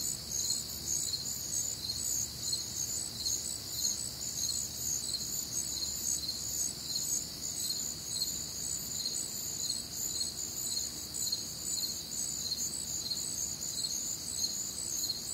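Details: Crickets on a warm, humid Midwestern summer night, a dense chorus of high, shrill chirps pulsing steadily, with several insects overlapping in layered bands and a faint low rumble beneath.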